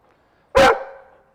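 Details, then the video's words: Four-year-old Rhodesian Ridgeback, reactive to other dogs, barking at a dog he spotted during an outdoor training session in West Los Angeles: one sharp, loud, single bark with a short fading tail, otherwise quiet. "Now he's barking because he sees the dog that we saw off camera a second ago."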